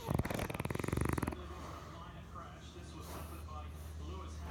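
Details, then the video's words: A sleeping French bulldog, dreaming, lets out a rough, fluttering snore lasting just over a second, its rapid vibrating pulses loud and coarse, before falling to near silence with a steady low hum beneath. "French bulldog snoring and dreaming"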